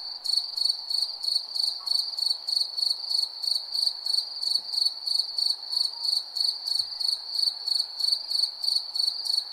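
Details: Night chorus of crickets: shrill, pulsing chirps around three per second, evenly spaced and continuous, over a soft background murmur with a couple of tiny clicks.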